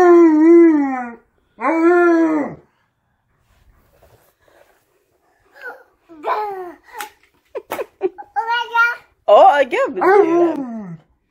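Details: Alaskan Malamute Tonka howling indoors together with a baby who mimics him; two long, wavering, slightly falling howls open, followed by a child's higher warbling cries and brief speech.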